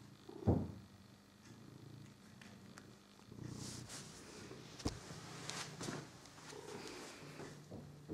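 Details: Figaro the pet cat purrs while playing with his favourite toy mouse: a low, continuous pulsing rumble in soft breathing cycles, broken by a sharp tap and rustling handling noises.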